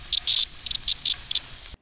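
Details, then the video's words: A cicada gives a loud, harsh rattling alarm call in short broken bursts, the kind cicadas emit when disturbed. "cicadas emit loud rattling alarm calls when disturbed"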